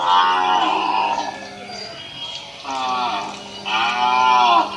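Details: Village cow in Assam, India, with a calf taking milk; three drawn-out harmonic moos, the first lasting nearly two seconds and the last two close together, over a steady low hum.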